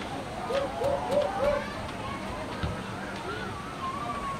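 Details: At Henry Doorly Zoo, a male siamang calls: four quick, hooting notes in a row, followed by softer rising and falling wails.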